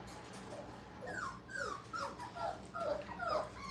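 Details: Several five-week-old puppies having fun in a kennel give a quick run of high, downward-sliding whimpers and squeaky yips, closely overlapping, over a low, constant hum.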